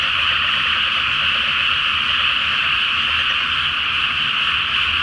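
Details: Frogs massed in a water-filled paddy before transplanting, calling at night beneath the full moon; countless overlapping croaks merge into one constant, shrill, rattling chorus.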